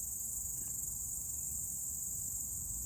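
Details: Crickets singing outdoors on a Sunday in nature, with cicadas perhaps also nearby; a steady, high, unbroken shrill band holds through the whole stretch over a soft low rumble of background noise.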